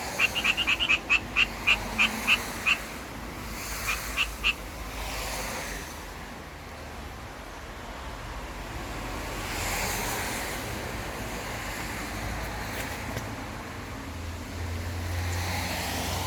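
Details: Japanese tree frog in the city giving courtship calls: a burst of sharp, evenly spaced raspy pulses over the first seconds, a few more near four seconds, then steady traffic-like rumble.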